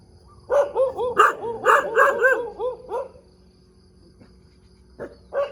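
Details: Morning barking from a dog in the middle of a road, a burst of about six sharp barks over three seconds, then quiet, followed by two single barks near the end.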